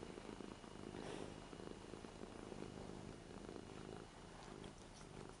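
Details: Eight-year-old Ragdoll cat Lara purring in an affectionate, spoiled mood on a new bed indoors while being stroked. A continuous low, rhythmic rumble pulses with her breathing, with a faint soft rustle partway through.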